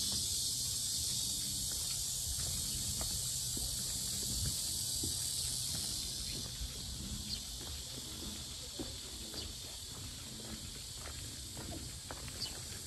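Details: Loud cicada chorus at the Asan Sinjeongho lotus park in South Korea: a continuous, dense, high-pitched buzzing drone that eases slightly halfway through, with scattered faint footsteps and small clicks beneath.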